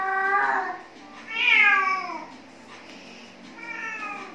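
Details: Khao Manee cat catching a worm gives three meows: a bright opening cry, a louder wailing one that climbs then slides down, and a softer final meow, with quiet background between calls.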